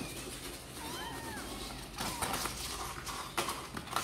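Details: One short rising-and-falling kitten meow from Sor and Kapov's kittens, which look keen to come out and play, followed by clattering knocks and rustling.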